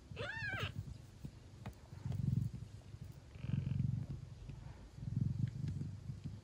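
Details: A Thai cat mother feeding her Siamese kittens; a high, wavering kitten meow opens, then the mother's low, throbbing purr swells and fades in three breathing cycles about every one and a half seconds.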